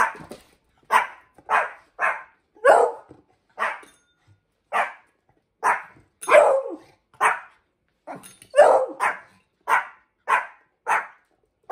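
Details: Indoor dog barking while Salto the beagle is trained to ring a bell alongside Hendo, a 10-month-old Pomeranian; around sixteen loud, evenly spaced barks, roughly two per second, continue steadily through the whole stretch.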